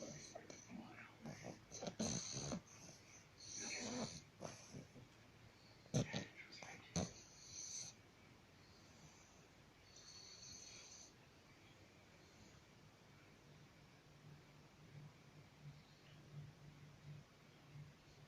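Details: Bulldog snoring, a low, steady rumbling drone that continues through the second half, preceded by louder broadband snorts and bursts of other sound in the first eight seconds.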